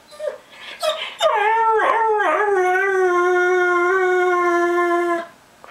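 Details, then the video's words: Pet whippet, one of two named Max and Jake, singing on request: a few short yips, then a long, steady, clear howl held for about four seconds with a rich harmonic tone before it cuts off. "Whippets Singing"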